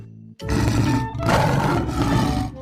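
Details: A lion (Panthera leo) gives a deep, rasping roar that swells and fades, with music playing underneath.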